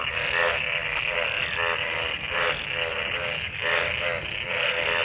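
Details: Mating frogs in rain-gathered water after a monsoon downpour. Coarse, throbbing croaks with bright rasping overtones pulse in overlapping waves, and a faint high ticking runs above the chorus.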